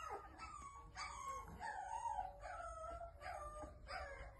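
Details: American Bully puppy giving thin, high whining howls that rise and fall in drawn-out wavering notes, several in a row with short breaks, over a low background hum.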